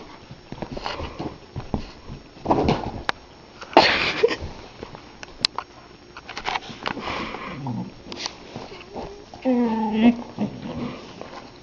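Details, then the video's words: Pet husky named Bowser, indoors, pushing his bone into a couch and getting upset that it won't disappear. Snuffling and sniffing bursts lead to short, wavering whiny 'talking' vocalizations that rise and fall near the end, with a person's voice briefly heard. "Funny Husky talking to his bone!"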